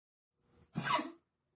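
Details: Shiba Inu with lymphoma spread to the lungs, breathing with difficulty and coughing nonstop from early morning; a single harsh, broadband cough lasting about half a second, preceded by a faint breath, in a quiet room.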